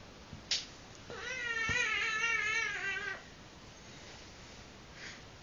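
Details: A wavering, wailing meow of about two seconds from Minna, a cat at wild play. The tone wobbles up and down with strong harmonics, framed by a few light taps and clicks.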